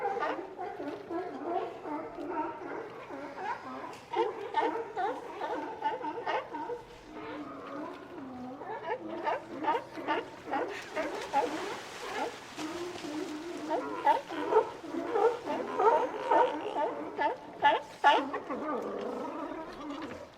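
Many sea lions call at once, their hoarse barks and gargling growls overlapping in a steady, rough chorus. The calls come in rapid, uneven bursts, with no other sounds standing out.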